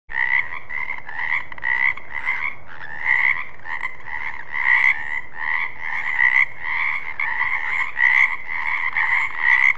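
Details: Frogs croaking steadily, a rough, rasping call repeated in quick pulses with little pause, forming a continuous chorus over low background rumble.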